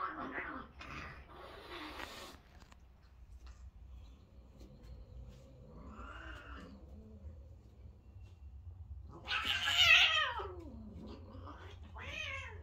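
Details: Domestic cats, a father cat and a mother cat, fighting indoors: noisy hissing bursts open, a low murmuring growl follows mid-way, then a loud, wavering yowl rises and falls, ending in a shorter wail.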